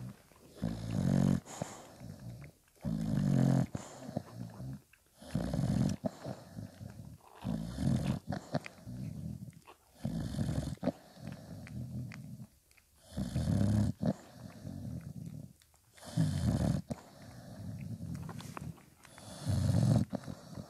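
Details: Litter of five-day-old puppies with mother Spikkels feeding them; a long run of low, buzzy grunts and snorts, repeated roughly every two seconds, with brief quiet gaps and breathy snuffles between them.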